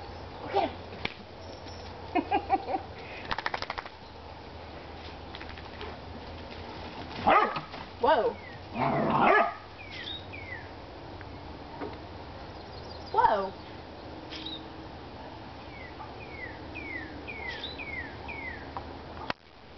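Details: Playing whippets Chippy, Chase and Viola racing about: scattered sharp barks and growly bursts in clusters, with brief pauses between, a run of thin descending chirps from birds later on, and steady low background noise.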